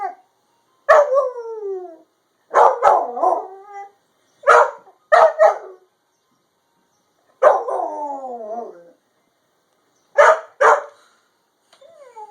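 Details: A puppy reacting to an ice cream truck with short falling howls and quick sharp yips and barks, delivered in separate bursts with silent gaps between them.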